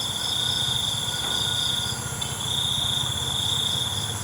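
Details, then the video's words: Crickets at night: a steady, high, pure trill runs almost unbroken, with one brief dip near the middle, over a faint low hum. "ALUNAN CENGKERIK MALAM"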